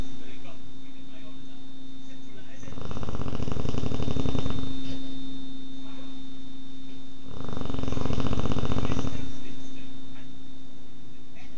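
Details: American Bulldog snoring loudly, recorded on a phone: two long, deep rumbling snores roughly five seconds apart, over a steady electrical hum.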